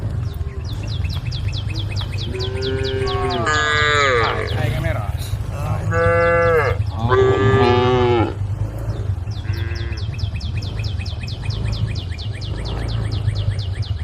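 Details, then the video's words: Grazing cows in a field call their companions, the mother cow frantic; a cluster of strained, wavering moos in the middle with quieter stretches of steady low hum and fast, high repeated chirps around them. "the sound of cows calling friends, the mother cow is going berserk"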